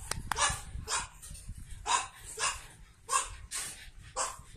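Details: Pug puppies born 9 April 2017, one with a light-blue collar, give short, high yips and squeaky barks, repeated about twice a second.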